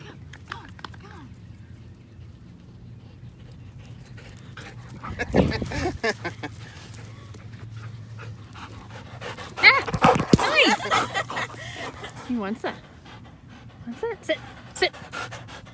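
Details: Belgian Malinois shepherd dog named Strider, out on a walk and playing with its family; loud bursts of heavy panting and snuffling come mainly in the middle stretch, with human voices talking on and off.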